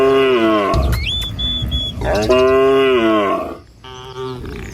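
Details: A moo from a herd of tame village cattle heading out to pasture in the morning. A long, low harmonic bellow is followed by a second, rising moo and a shorter one. A thin, steady whistled tone is heard between the calls.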